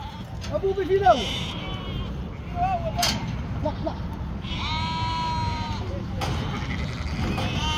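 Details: Sheep farm in northern Spain: a ewe that has just given birth and cannot stand. Scattered quavering bleats come through, one long steady one in the middle, amid clicks and human voices.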